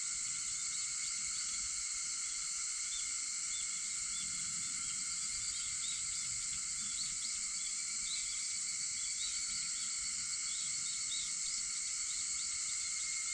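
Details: Early-morning cicada chorus recorded around 4:50 a.m. on August 4: dense, continuous shrill hum holding level throughout, with scattered short chirping notes flickering above the steady drone.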